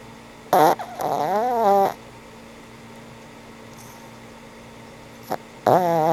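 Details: Frank N. Stein, an old pug, snoring while asleep indoors: two drawn-out, buzzy, wavering snores, the first about a second and a half long, the second starting near the end, with a brief snort between over a steady low hum.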